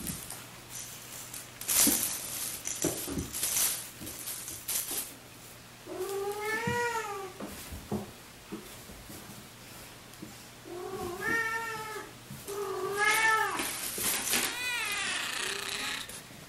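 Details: Tom, an orange tabby domestic cat left abandoned as a kitten in a park in mid-October of the previous year and now grown, gives about four drawn-out meows, each rising then falling in pitch, after a stretch of clattering and rustling.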